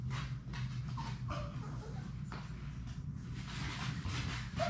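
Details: Six Labrador Retriever puppies at play in a puppy play room; a few short, high whines and squeaks rise briefly above scuffling thumps and a steady low room hum.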